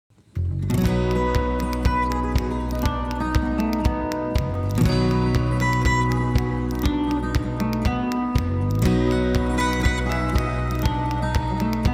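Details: Strummed acoustic guitar music plays throughout, with no animal sound.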